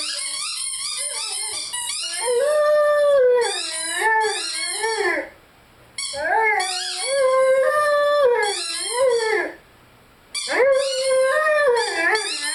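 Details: Lyle the Rhodesian Ridgeback howls and sings with his favourite squeaky toy: three wavering, sustained howl bouts separated by short pauses, each overlaid by rapid, high-pitched toy squeaks.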